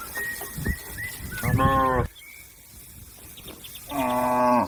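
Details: Cattle mooing to call companions back to the pen: two loud harmonic moos about two seconds apart, each under a second long, with softer lowing and faint bird chirps in between.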